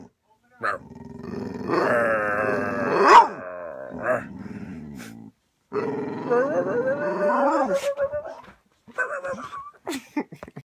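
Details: An excited pit bull told to speak, making long drawn-out growly howling vocalizations with wavering pitch, two main bursts, the second sliding upward then down, followed by short yips, with a person's voice urging it on.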